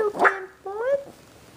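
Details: Logan, a young male AKC-registered Havanese puppy born December 27, 2012, described as sweet, playful and adventurous, gives two drawn-out tonal whines, the second sliding upward before fading, with a soft voice in the background.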